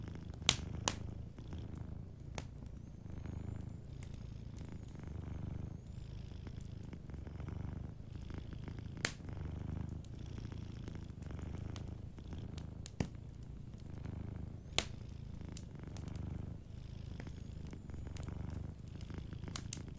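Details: A sleeping cat purrs softly and steadily beside a warm fireplace, a low rumbling purr rising and falling in long even cycles, with sharp wood crackles and pops breaking through now and then.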